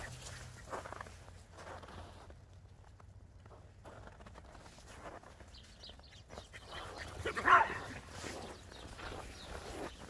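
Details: Border Collie and Jack Russell Terrier playing chase in the snow; one sharp bark rings out near the end over a steady outdoor rumble and faint rustling of movement.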